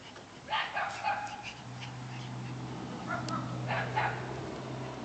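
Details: Two cream Shiba Inus playing together, recorded on an Android phone: short harmonic yips and whiny grumbles in two bursts, over a steady low mechanical hum running through most of the recording.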